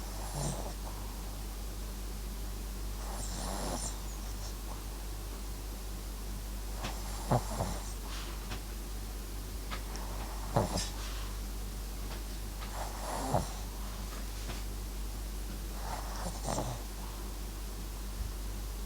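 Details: Dozing pet dog MAX, a Papillon crossed with a Japanese Chin, snores in slow, uneven breaths: airy, snuffling rasps recurring about every three seconds, some with faint clicks, set against a constant low hum.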